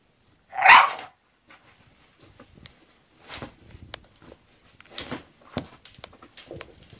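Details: Zenuś, an English bulldog, gives a single brief, forceful vocal burst shortly after the start while going to sleep. Afterwards only faint clicks, light rustles and soft breathing-like noises follow.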